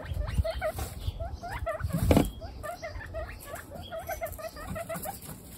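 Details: Guinea pigs from a household group of 28, twenty-six females and two males, give a rapid run of short, squeaky chirping notes, several each second, over low rustling and bumping noises.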